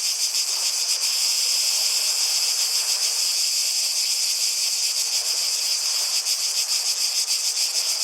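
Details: Chorus of cicadas in a natural setting, a steady shrill high-pitched drone with loose, irregular pulsing and a faint lower rushing hiss in the background.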